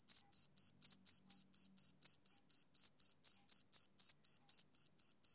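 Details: Male cricket chirping on a summer evening: short, clean, high-pitched pulses repeated steadily about four times a second, each chirp evenly spaced, with a faint upper overtone and no other sounds.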